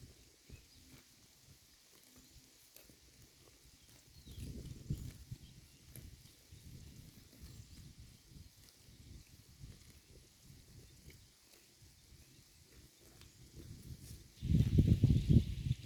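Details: Herd of cows eating grass in a pasture, munching in a steady rhythm about four bites per second, with two louder close bursts of tearing and chewing, one early and one at the end.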